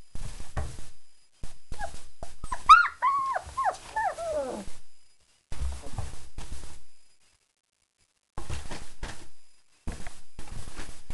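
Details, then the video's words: German Shepherd puppies, four weeks old, after eating a meal of kibble with yogurt, nutritional yeast and raw chicken; a run of rising-and-falling whimpers and yips midway, surrounded by clattering, scuffling noises and pauses. "German Shepherd puppies 4 weeks"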